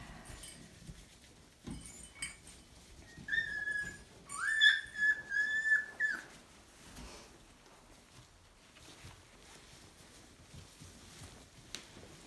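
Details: Collie puppies from the Honey/Davos litter, with Harley, playing on 30 January 2018; a burst of high, thin whining whimpers with rising and falling slides fills the middle seconds, surrounded by soft thumps and shuffling.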